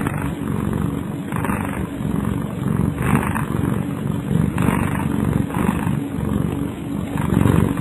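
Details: Snoring from a sleeping house cat called Kyara: gritty, low breathy rumbles repeating in an even rhythm of about one breath per second, set against continuous low-pitched hum.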